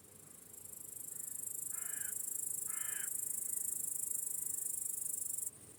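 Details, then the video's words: Evening crickets in a sunset meadow keep up a continuous high, pulsing trill, while two harsh crow-like caws break in near the middle; the chirping stops suddenly just before the end. "Crickets Chirping in a Peaceful Meadow"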